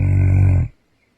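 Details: Central Asian Shepherd Dog named Roman, asleep after night guard duty and a 6:30 AM bedtime, gives a low, throaty, rumbling snore lasting well under a second before falling silent.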